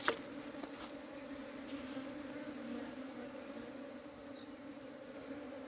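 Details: Honey bees in a hive that is being cleaned during summer. A steady, two-toned low hum runs unbroken, opening with a single sharp tick and otherwise free of other sounds.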